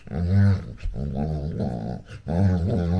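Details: Female Labrador Retriever puppy vocalising during play with her owner indoors: three drawn-out, low, harmonic growly whines, each lasting about half a second to a second, with short gaps between.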